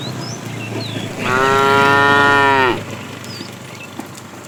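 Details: Tame herd cow out in the afternoon, a fat animal calling the female, gives a single steady, rich harmonic moo of about one and a half seconds, falling slightly at the end, with faint bird chirps around it.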